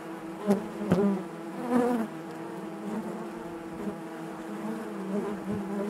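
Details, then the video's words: Inside a honey bee hive, a continuous droning buzz carries harmonic layers, with a few sharp clicks and bumps in the first two seconds before the hum settles into an even, steady tone. "bees therapy hive natural buzzing sound"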